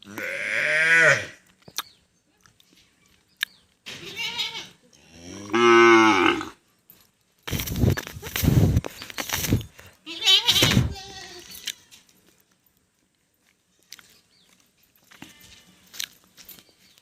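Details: Cow mooing repeatedly with short bellows and grunts, some rising and falling in pitch, separated by pauses and interrupted by a loud burst of broadband noise in the middle.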